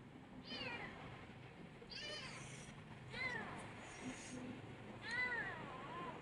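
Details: Kitten needing constant attention: four short plaintive meows at roughly one-and-a-half-second intervals, each arching up then down, the last one longest, over low background hum.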